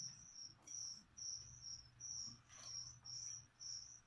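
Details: Feeder crickets for a leopard gecko, heard indoors. They give a bright, high-pitched chirp repeated roughly twice per second, each burst short and even, over a quiet low hum.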